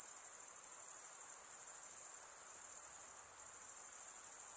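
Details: Night insects calling in a dense, continuous chorus: a steady high shrill buzz that barely varies, with a faint softer hiss underneath and no other clear sounds.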